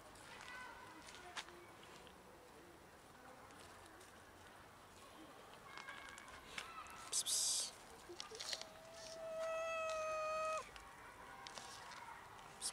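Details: One of many cats in a big colony living by a dumpster and feeding there gives a long, drawn-out, even-pitched meow lasting about two seconds, following quieter cries, with a human voice, clatter and outdoor noise.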